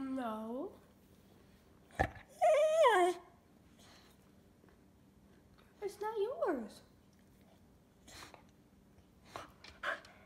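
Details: Indoor cocker spaniel 'talking': a few separate drawn-out whiny yowls, each bending downward in pitch, spaced by quiet gaps of a few seconds, with occasional thumps and clicks in a small room.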